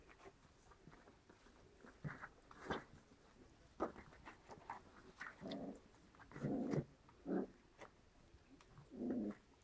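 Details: Seven-week-old white Großspitz (German Spitz) puppies in Berlin, litter of six with mother Bella, indoors: low rough growling bursts come in short runs, clustered in the second half, over a steady soft hiss.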